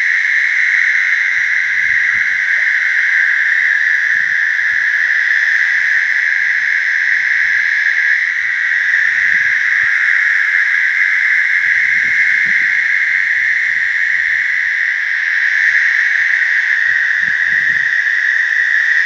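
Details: American toads in a slough give long, steady, high musical trills as mating calls, blending into an unbroken chorus.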